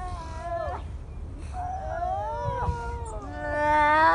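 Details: Newly born seal pup at Donna Nook calling for its mother: a series of wavering, nasal wails with rich harmonics, some sliding downward, the final cry longer and louder, rising in strength toward the end.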